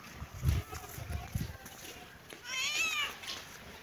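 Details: Kitten and cat playing in a happy mood: a single high, wavering meow rises and falls near the end, after a few soft low thumps and rustles at the start.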